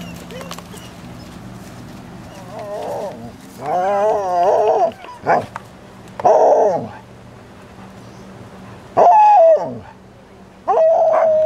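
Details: Alaskan Malamute pups aged 26 days at the Sakima Kiwidinok kennel, 20 September 2009: short bursts of whining howls separated by quiet gaps, some wavering, others held as level tones, over a faint low hum.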